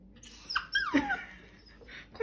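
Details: Bichon Frise dog making a "talking" whine: a brief high squeak that slides quickly downward into a soft lower whimper, quiet indoors with faint background hiss.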